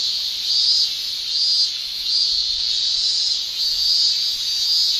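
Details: Japanese summer cicada shrilling: a continuous high buzzing drone that swells in brighter pulses about once a second, rising and falling in a rhythmic wave over the steady hiss.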